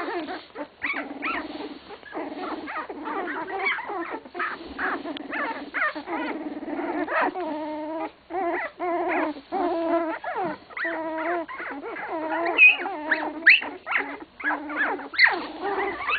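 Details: Young English Cocker Spaniel litter at 16 days old, droning whimpers and nasal mewing cries running almost without pause, with occasional sharper high squeaks breaking through near the end.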